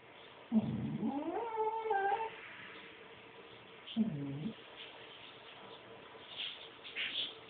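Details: A pet dog indoors, reacting to something it sees outside the window, gives a low rumbling growl that rises into a wavering whine, then a second short low growl after a pause; a quiet room with faint rustling.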